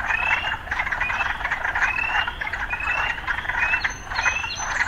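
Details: Frogs heard against urban surroundings, their chorus loud and pulsing, with bright rising notes recurring roughly every second and a few higher thin notes near the end.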